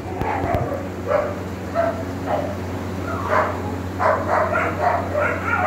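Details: Black male Cane Corso puppy in India giving a run of short, high-pitched yelping barks, about nine bursts in six seconds, some grouped in quick pairs, over a steady low mechanical hum.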